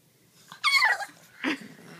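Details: French Bulldog Boston Terrier mix. A French Bulldog Boston Terrier mix puppy lets out a shrill, squealing yelp that slides downward, followed after a pause by a brief, harsher bark. The sounds are close and indoors, with some faint breathing in between.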